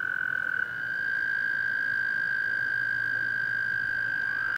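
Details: A toad at Clear Creek Reservoir in South Mountains State Park gives a long, steady, high musical trill that holds one even pitch throughout.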